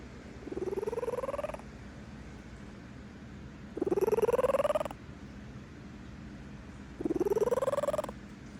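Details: Female cat, content and asleep, purring in slow cycles: a buzzy, pulsing purr rising in pitch for about a second, then near-silence, repeating roughly every three seconds, three bouts heard.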